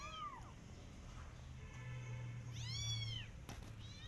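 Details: In a garden, a Persian cat and the kittens she adopted watch rabbits. Two bright, arching meows, one early and one near the end, sound over a steady low droning hum.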